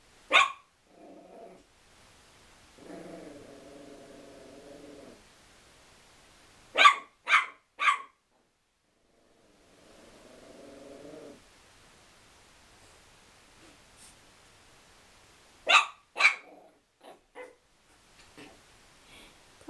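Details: Chihuahua angry at a towel, giving sharp bursts of barking: a single bark, then a quick run of three, later a pair, with long low harmonic growling passages in between and quiet gaps.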